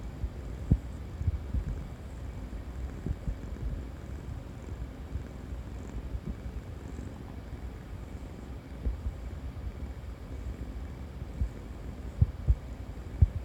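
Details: Tabby cat purring, a steady low rumble held throughout, with scattered soft clicks and light thumps and no other voices.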